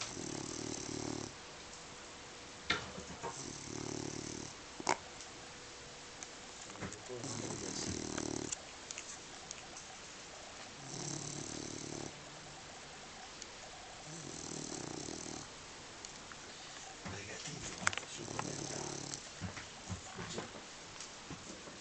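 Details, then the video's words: Sleeping dog snoring deeply; broad rasping snores come in regular breaths roughly every three to four seconds, each lasting about a second, in a quiet indoor room. "Snoring and sleeping like a rock"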